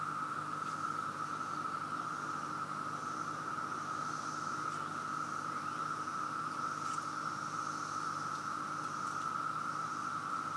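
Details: A massed chorus of many living cicadas in Virginia, overwhelmingly loud and everywhere, gives a continuous, even drone on one high pitch without pause, a thin airy hiss above it, no other animals standing out.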